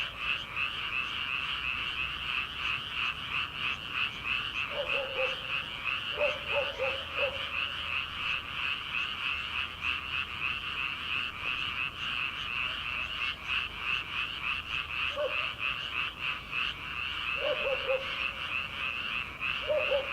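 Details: Frogs in rice paddies at night in early summer, before rice planting: an unbroken shrill chorus of trilling calls, with occasional short croaking bursts from nearer frogs around the fifth, seventh, fifteenth and eighteenth seconds.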